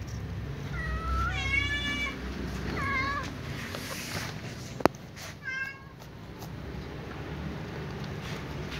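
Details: Cats, one ginger and one white, feeding on fried tofu; three harmonic meows in the first six seconds, the first two close together, then a sharp click and quieter background of low traffic rumble.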